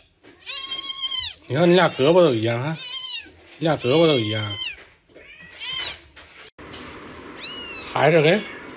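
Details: Domestic cat from a big-faced cat family with its kittens, a pet cat named Beer nearby, indoors: high, arching meows rise and fall between stretches of a woman's excited Mandarin speech.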